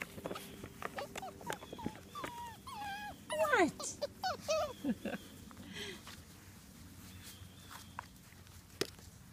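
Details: A litter of British Labrador Retriever puppies at play with toys, from eight pups whelped August 16, 2014. High, thin whines and yelps rise and fall in quick bunches mid-clip, while a person calls to them in the background.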